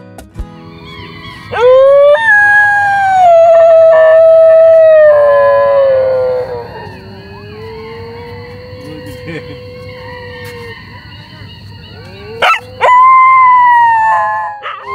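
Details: Several domestic dogs howl like jackals at dusk near a Jhow tree forest by Dublagadi sea beach, Odisha, India, while many jackals call across the area. Long, drawn-out, overlapping howls rise, hold and slowly fall over about five seconds, and another howl starts near the end.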